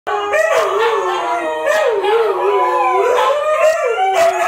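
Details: Several Siberian Huskies, including a small puppy, howl together in long, wavering tones that rise and fall continuously.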